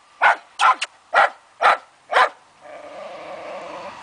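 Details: Fox terrier on a wild boar hunt barks six times in rapid series, about twice per second, then a drawn-out, tonal whining sound follows.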